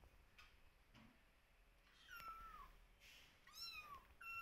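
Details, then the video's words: Kittens meowing and calling out to their mother, who keeps her distance and quietly watches them; thin, high, slightly falling cries, about four short meows, quiet at first and growing louder toward the end, with a faint rustle beneath. "Adorable Kittens Meowing And Calling Mother"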